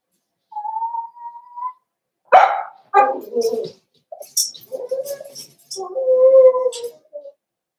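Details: Cavalier King Charles Spaniel puppies in a home puppy pen, meeting several of the household's bigger dogs for socialization on 13 December 2022; a thin steady whine, then a sharper yelp and a run of whimpering, moaning cries indoors.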